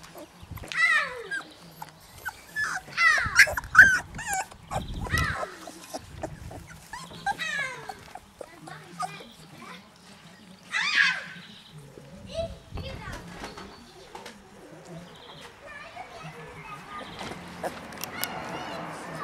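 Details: Labrador Retriever puppies with their mother Pinja in Herzhorn, making high, squeaky whines and yips in clustered bursts over several seconds, with people talking nearby and a rustling, noisier stretch at the close.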